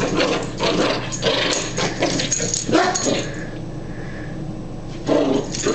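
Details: Beshert, a beloved pet dog recorded in 2005, plays in a small room while being playfully chased; a run of short yipping barks and whimpers comes in uneven bursts, then a pause and one more burst, with a person talking and a low hum throughout.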